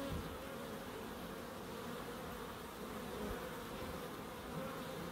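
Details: Bees in a small wildlife garden at an end-terrace house in Crookes, a low steady hum from many insects, soft and diffuse, with slight swells in loudness and no other distinct sounds.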